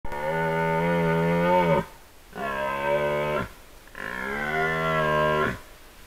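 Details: A red deer stag roars three times during the 2024 rut, each call deep, drawn-out and gravelly.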